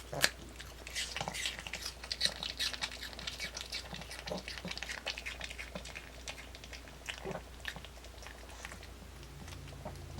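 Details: Pet dog Kimdungi munching an apple in one unedited take, a dense run of bright crunches and juicy bites, loudest at the start, with faint hum behind.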